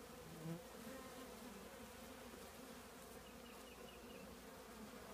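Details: Many honey bees from a colony nesting in an old trash can make a continuous dense buzzing drone, even and unbroken throughout.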